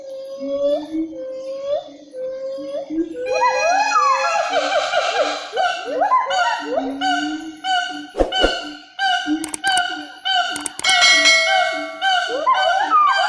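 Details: Siamang of Sumatra, a nature recording: steady repeated hooting notes for three seconds, then a dense chorus of loud rising whoops with strong overtones, broken by sharp clicks midway.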